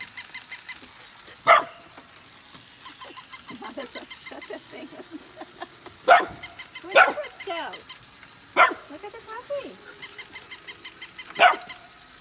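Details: Golden retriever puppies Nala and Scout, born August 2020, meeting a new puppy; four bright yips and barks scattered through the clip, softer whines and growly noises between, a continuous quick ticking and some human speech.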